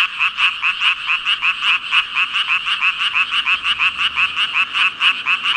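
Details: Mass croaking of thousands of frogs, numbered at 5,000: quick, throbbing ribbit pulses about three per second, bright and raspy, forming a steady rhythmic chorus.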